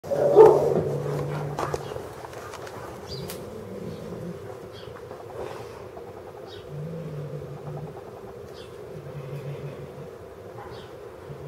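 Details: Cat named Eclipse growls while agitated during play with feathers: a low, steady rumbling growl held for long stretches, broken by pauses, opening with a louder yowling burst.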